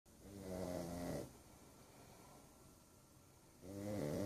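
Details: Sleeping pug snoring indoors: two drawn-out, harmonic rasping snores, the first lasting about a second, then a quiet stretch of soft breathing before a second snore starts near the end.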